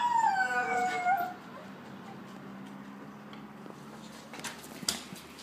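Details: A female Blue Roan Cocker Spaniel puppy gives a thin, wavering howl that slides downward, mimicking sirens going past.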